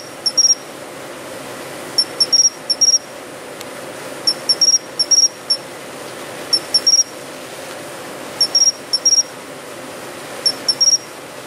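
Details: Japanese pine cricket calling in an urban planting in autumn: pure, high bell-like notes in short bursts of two or three, repeating irregularly every couple of seconds over soft hum.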